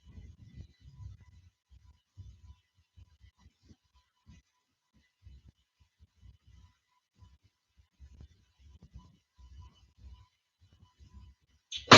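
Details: Near-silent indoor room with faint low thumps and soft handling noises, ending in a brief sharp sound; no animal calls.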